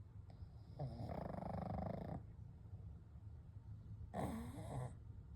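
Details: Three sleeping pugs, Kou, Gen and Shun, breathing gently at night: two soft, raspy snoring breaths with a faint low rumble, separated by a long quiet gap, the second one shorter.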